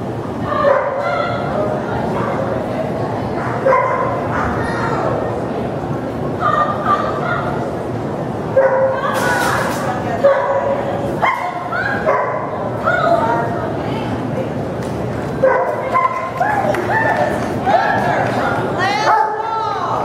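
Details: A Giant Schnauzer running a CPE agility trial barks repeatedly, short punchy yaps coming in clusters every second or two, mixed with voices of people nearby and a brief rush of noise midway.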